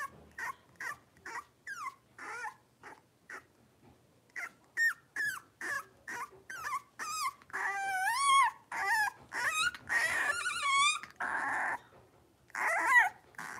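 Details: Young blenheim Cavalier King Charles Spaniel puppies, part of a litter of five in a home puppy pen: a long run of sharp, high yips that grow into loud, wavering, drawn-out whines, nearly continuous near the end.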